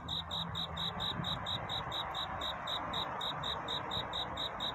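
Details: Courtship song of a cricket on a night into dawn: crisp high-pitched chirps repeated roughly twice a second, slightly uneven in rhythm, with low rumbling background noise beneath.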